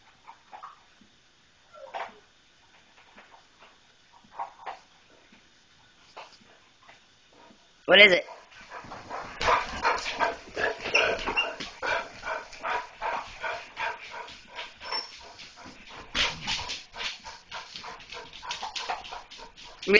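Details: German Shorthaired Pointers, female, reacting to seeing a cat. Near silence with faint scattered noises for about eight seconds, then a sudden outburst of rapid, excited barks and yelps that keeps going densely until the end, with voices mixed in.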